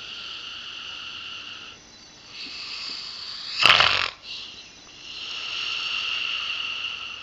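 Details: Pip, an 8-year-old female springer spaniel with a nasal tumour, undergoing radiotherapy at the University of Liverpool, snores with whistly, tonal breaths in steady bands, broken near the middle by one loud, harsh snort.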